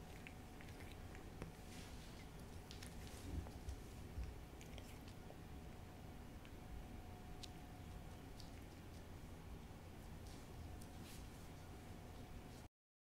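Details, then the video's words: A cat called Hodu eating a Ciao Churu treat, recorded close indoors as ASMR. Gentle irregular licks and moist chewing clicks run through the clip over a low steady hum, ending in sudden silence. "cat ASMR★호두의 츄르 ASMR★ciaoちゅ~る"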